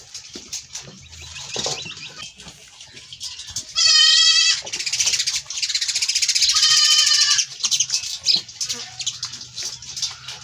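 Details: Goat running away after milking; a single loud harmonic bleat with a wavering tremolo near four seconds, a second shorter bleat around seven seconds, amid rustling and handling noise.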